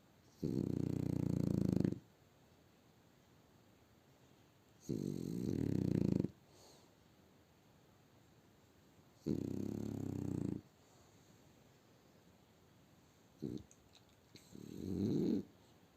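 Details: Sleeping French bulldog snoring indoors in Barnaul on a winter Sunday, deep raspy drawn-out snores lasting over a second, recurring about every four seconds, with a short snort and a shorter final snore near the end.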